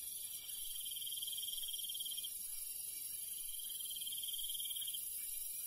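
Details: Countryside crickets at night: two drawn-out pulsing trills of about two seconds each sit over a continuous buzzing insect chorus, with light background noise throughout.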